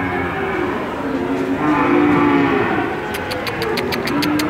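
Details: Cattle at a crowded market in Randudongkal, Pemalang, Indonesia, where calves are unloaded from a truck: several short, wavering lows rise and fall through background crowd noise, followed by a quick run of sharp clicks.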